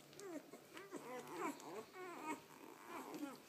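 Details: Two-day-old puppies, two males and a female, squeak and whimper while feeding indoors; short rising and falling high-pitched cries repeat in quick bursts, about two or three per second, over a quiet room.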